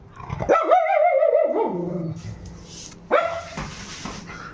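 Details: Pet Indian Spitz dog indoors giving a drawn-out, tonal, yelping bark that wavers and falls, then a second shorter bark-like cry about three seconds later, with quiet rustling between.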